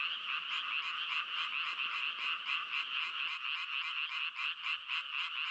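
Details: Frogs croaking in a dense, continuous chorus: overlapping high, rasping trills throb about twice a second with no pause. Midway a faint low rumble in the background drops away, leaving only the calling.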